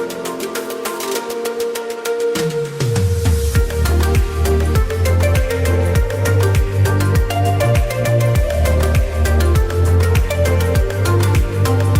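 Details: Loud electronic dance music with a heavy, steady bass beat throughout and no animal sound.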